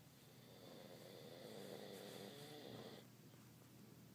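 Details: Darla, an old dog aged twelve and a half, snores in a deep sleep nap: a soft, droning breath with a low buzzy tone that swells and then cuts off after about three seconds, followed by quiet room hiss.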